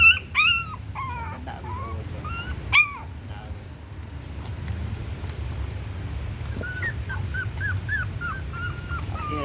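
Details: A puppy being raised on milk powder, said to be growing very slowly, gives thin high whimpering whines, short rising-and-falling cries repeated in clusters, over a steady low rumbling background.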